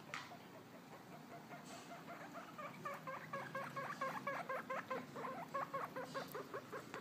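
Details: Guinea pig Rufus roaming around outside the cage while newly adopted Coffee sits inside; a run of rapid, repeated squeaky chirps with rising-falling strokes, about two per second, building over the second half, with light pattering in the background.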